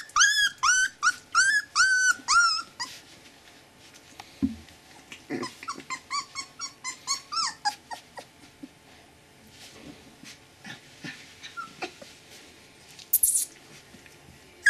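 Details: Siberian Husky pups, 20 days old, born 16 February to Gau and Arkan, cry in loud repeated arched squeals for three seconds, then keep up fainter, quicker whimpers and soft squeaks with scattered knocks.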